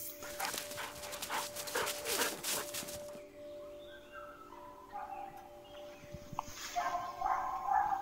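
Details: Hunting dogs in a Kamchatka forest baying at a moose they have found and circled, holding it in place about 400 metres away while hunters wait; faint distant barks, with rustling and crackling nearby in the first three seconds.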